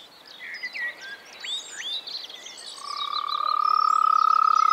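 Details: Springtime frog in the Czech Republic: after a stretch of varied birdsong, a fast pulsed, even-pitched trill begins and keeps going steadily to the end, while birds go on singing above it.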